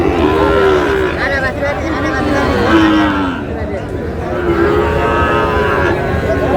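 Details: Sahiwal bull calves at a cattle market where a Sherpur farmer buys stock, 4 March 2026: several drawn-out, nasal lowing moos in a row, each about half a second, rising then falling, over steady crowd chatter and bargaining voices.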